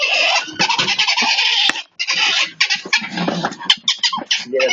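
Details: A ferret gives harsh, screechy squeals in dense harmonic bursts, near-continuous with one short break, with faint voices nearby.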